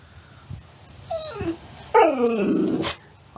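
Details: Talkative pet dog indoors, making a vocal 'talking' sound: a few faint whines, then a loud wavering moan-like howl with bending pitch for about a second, ending abruptly.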